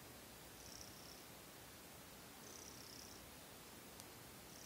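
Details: Young cat Seol purring at night before sleep, settling its breath after kneading; a soft, steady low rumble under hiss, with faint breathy high bands drifting in roughly every two seconds.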